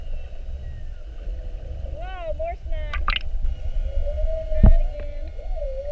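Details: Whales mugging a boat, spy-hopping repeatedly during a 7:30 whale watch on 21 February 2019, heard underwater: harmonic upswept whoops and a quick burst of pulsed creaks, then a rising, wavering moan, with sharp knocks and low engine-like rumble.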